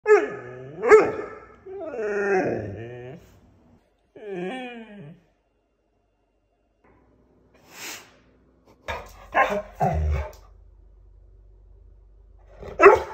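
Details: A very vocal male pet dog indoors gives three drawn-out, wavering whine-like calls in the first five seconds, then falls silent before a burst of short, sharp barks and noises near the end.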